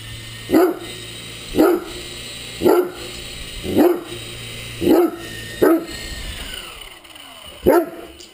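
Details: Great Dane barking at a hovering RC helicopter during play, seven forceful woofs at about one per second with one longer gap near the end, rotor whine constant behind.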